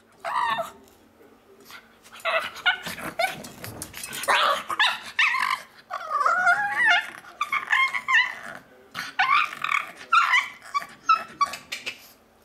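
A pug gives a run of high, squeaky whines and yelps that sound almost like monkey chatter.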